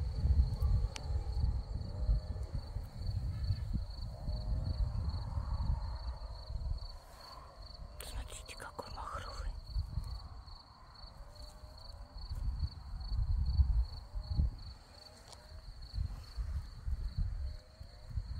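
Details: Many crickets among scarlet poppies in Crimea, chirping in a thin high steady pulsed trill throughout, with soft whispered speech and low rumbling wind noise over it.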